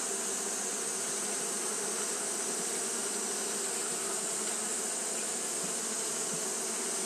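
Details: Japanese honey bees fanning nonstop at the hive on a hot day: a dense, steady colony hum with low droning bands and a bright hiss above, unchanging throughout, with no other sounds.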